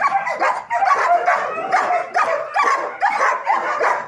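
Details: German Shepherd dog during a training session; loud, harsh barks in quick bursts of two or three, repeated about every half second, with a whining edge between them.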